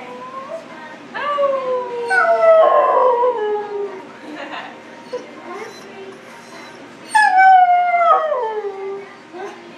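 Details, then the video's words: Husky at a grooming salon giving several howls, each starting high and sliding downward, with pauses between bursts; faint human voices in the background. "Howling husky"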